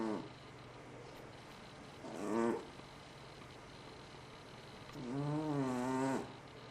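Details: FatCat, a pet cat, snoring loudly while asleep: three droning, tonal snores with wavering pitch, a short one near the start, another around two seconds, and a longer rising-and-falling one lasting over a second near the end, over a quiet room hum.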